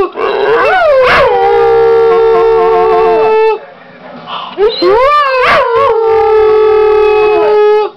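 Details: Female pit bull and foxhound mix dog, six years old, howling because she misses the owner's mother; two long sustained howls, each opening with a rising yodel and holding a steady drawn-out tone, separated by a brief pause.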